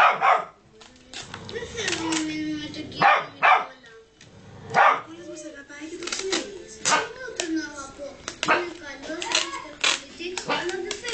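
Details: A Rottweiler gives sharp, deep warning barks in uneven bursts at a child while people talk nearby, urged to bark then told enough.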